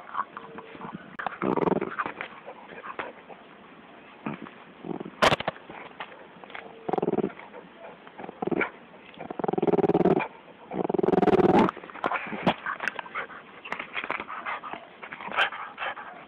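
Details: Bulldog attacking a snake, giving loud harsh barks and growling bursts at irregular intervals, with the longest runs near the end, separated by quieter stretches with scattered sharp knocks.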